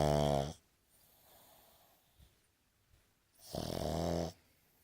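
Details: A Boston Terrier, snoring with its eyes open, gives heavy, rattling, harsh buzzy snores under a second each, with long quiet gaps of soft breathing between.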